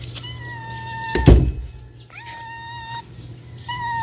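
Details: Stray cat being fed outdoors: drawn-out, even-pitched harmonic meows, one early, one after a loud thud, another near the end, over a low steady hum.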